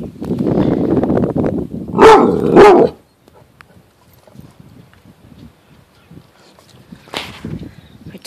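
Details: A Rottweiler, apparently reacting to a caterpillar, gives two deep, loud barks in quick succession, followed by quiet murmuring.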